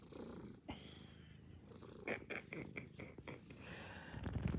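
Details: Sleeping house cat snoring, a steady low, rough, rasping breath sound running throughout, broken by a few faint clicks and rustles, growing slightly louder toward the end.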